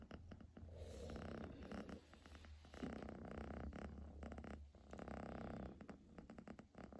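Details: A pet kitten purring loudly and continuously, a rough, rumbling low drone in long pulsing breaths, with brief quieter gaps between breaths.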